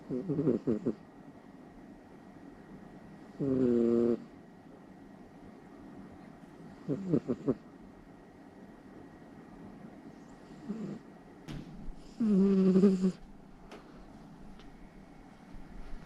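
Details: Loud snoring from a Somali cat fast asleep at night beside its owner: buzzy, rattling breaths in irregular bursts every few seconds, some short and double-pulsed, one longer and stronger near the end, over a quiet room.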